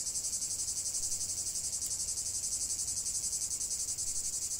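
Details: Chorus of cicadas singing without pause, a bright, harsh high buzz throbbing steadily about four times per second, with a soft low hum underneath.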